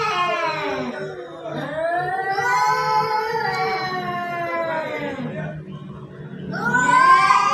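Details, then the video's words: Cats fighting in front of a house: long, wavering, harmonic-rich yowls that rise and fall over several seconds, overlapping, with a louder rising wail near the end. "Cat🐈 fighting(বিড়ালের ঝগড়া)"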